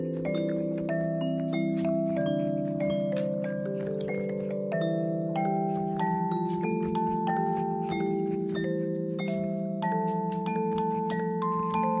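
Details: Bright mallet-percussion melody like a glockenspiel or marimba over sustained low tones, steady and continuous throughout; no animal sound is heard.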